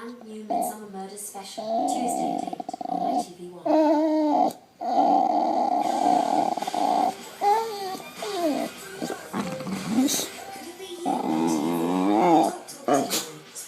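A boxer dog makes drawn-out, wavering, moaning vocal noises while a person talks nearby.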